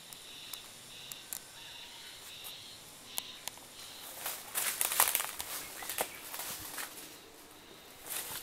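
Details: Cicadas calling on 1 May, early in the season, at the Oku-no-in of Oyama Shrine during a wild boar patrol: a high, pulsing buzz repeating in short bursts, later partly covered by footsteps and rustling.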